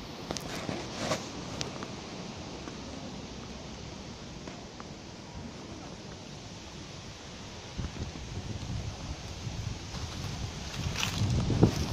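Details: Outdoor wind noise and rustling leaves with a few light handling bumps, no animal voice heard.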